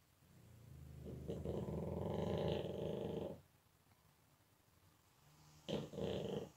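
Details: Sleeping pug in deep slumber, snoring: a long growly rattling inhalation of about two seconds, a quiet pause, then a shorter double snort near the end.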